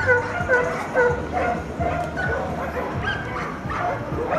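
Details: Dalmatian named Sheri during an A2-level agility run, giving short, tonal yelping barks roughly twice per second in a steady, excited series, with voices and ambient hall noise underneath.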